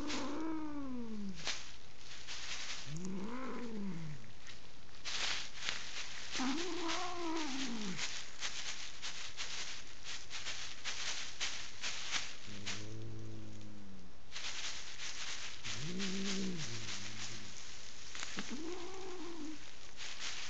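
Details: Angry female house cat in Kitchener, Ontario, Canada, refusing to leave her owners' bed during bedroom painting and wary of strangers. She gives about six drawn-out, arching yowls, each rising then falling, spaced a few seconds apart, over steady rattling noise.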